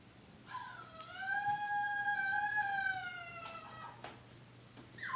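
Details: Puppy howling indoors: one drawn-out tonal howl lasting about three seconds, rising slightly then sagging at the end, over a quiet steady hum, with a short squeak just after.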